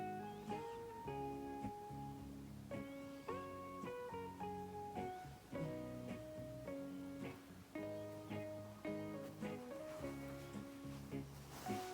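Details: Plucked acoustic guitar plays a gentle lullaby melody with strummed chords, and no animal sound is heard.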